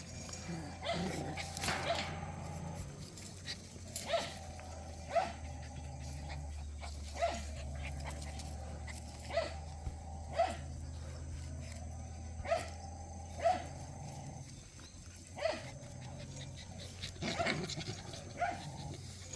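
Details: Puppies of Cheondori, including an older pup that is Heukhyang's daughter, at play: short high yips and whimpers repeat every one to two seconds, with thumps and scuffling between them over a constant low hum.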